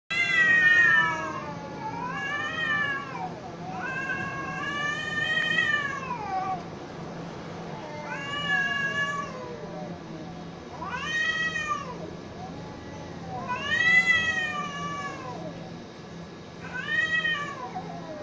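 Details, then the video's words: Cats fighting, trading long wavering yowls: about seven rising-then-falling wails spread over the recording, each rich in harmonics, with lower overlapping moans from a second voice between them. "Why Cats Fight"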